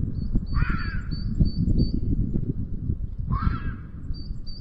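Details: Wild red fox in heat in Sierra de Guadarrama National Park, Spain, at the end of the afternoon near a black vulture nest, giving a rutting-season scream called "chilla": two harsh, rough, falling screams with constant low rumbling noise and a thin high whistle.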